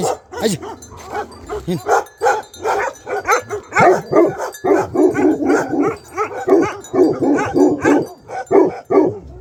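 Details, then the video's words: Bhote Kukur dog in Nepal barking continuously: a rapid, uneven series of deep, harmonic barks over about nine seconds, with brief pauses and a person's voice faintly in the background. "भोटे कुकुर"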